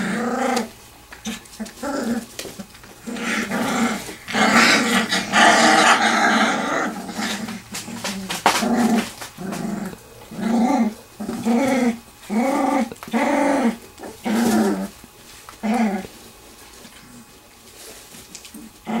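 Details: A litter of three-week-old Wirehaired Pointing Griffons from Bluestem Kennels wrestling in their whelping box in a garage: bursts of rough puppy growling, then a run of evenly spaced short growls roughly once a second.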